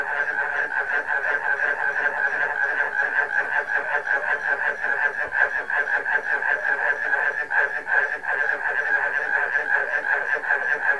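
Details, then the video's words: Frog chorus joined by barking crickets: a dense, unbroken wall of overlapping pulsed croaks, fast rhythmic chatter from many callers at once, steady in loudness throughout. "Frog Concert - Includes Barking Cricket Ensemble"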